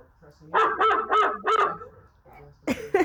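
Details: Jax the German Shepherd gives a series of four short, rhythmic, wavering howl-yips, followed after a pause by a couple of sharper broken vocal bursts.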